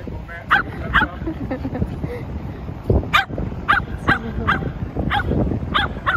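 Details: Shetland Sheepdog barking in short sharp yaps, roughly eight across a few seconds at uneven spacing, with a low rumbling background and some speech.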